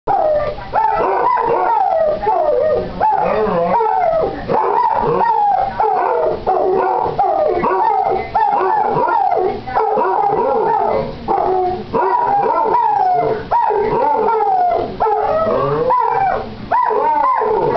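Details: Two pet Basset Hounds, Boo and Basil, one almost eight months old and still pup-like, howl together in a morning howling match; overlapping wavering, bending howls with short yips repeat steadily throughout.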